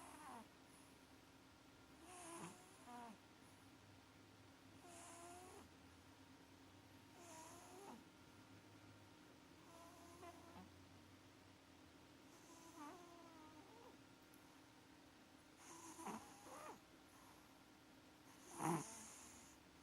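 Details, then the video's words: Maxi, a sleeping pet cat having sweet dreams, snores loudly in a quiet indoor room; rasping breaths repeat roughly every two and a half seconds, some with a higher whistling edge, over a steady low hum. "CAT MAXI IS SNORING LIKE A DRUNKEN SAILOR - SWEET DREAMS - КОТ МАКСИ ХРАПИТ"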